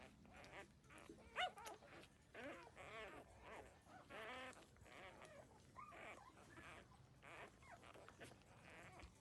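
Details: Puppies thirteen days old drinking their mother's milk utter scattered high whimpers and short squeaky cries, with one sharper yelp early on, over faint background shuffling.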